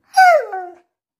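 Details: Siberian Husky named Max, a pet, answering when asked what colour it sees everything in; one short whiny vocalization that slides downward, then a softer drawn-out tail, indoors.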